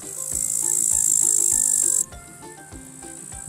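A great green bush-cricket gives a loud, very high, continuous buzzing trill for two seconds before it cuts off, with light background music throughout.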